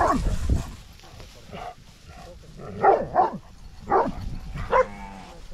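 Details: Great Dane barking at cows: a series of deep, hoarse barks, several spaced about a second apart with two close together, over low rumbling background noise and faint voices.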